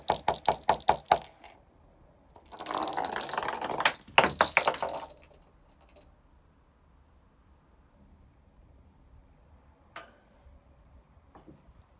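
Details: A rapid run of glassy clinks, then a loud rattling, breaking crash, followed by quiet thuds.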